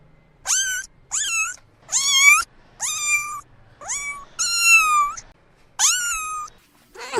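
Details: Kitten meowing repeatedly: seven quick, high-pitched cries, each starting with an upward sweep then levelling off, spaced roughly a second apart in a quiet room.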